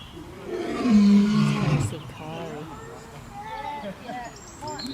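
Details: Lion roaring, a male projecting strength and dominance; one deep, loud, drawn-out roar over about two seconds, followed by quieter, wavering higher calls.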